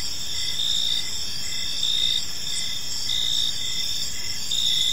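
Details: Park crickets at dusk keep up a dense high-pitched trilling drone, with shorter chirps breaking through in a loose, repeated pattern over a faint background hiss.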